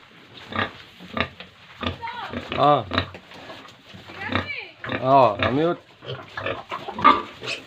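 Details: Pigs and piglets at a pig farm in Tripura, heard around feeding time: grunts mixed with several wavering, arching squeals in quick bursts, alongside nearby human speech and clattering.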